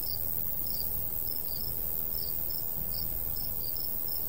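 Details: Countryside crickets in summer, golden wheat field and light breeze; high chirps come in uneven pairs and singles roughly every half second, with low wind rumble underneath.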